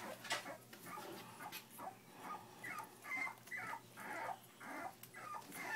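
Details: Three-week-old puppies from a litter of Jack and Puzzle whimpering: short, high, squeaky whines strung together quickly and unevenly, roughly two a second, over soft rustling and small clicks.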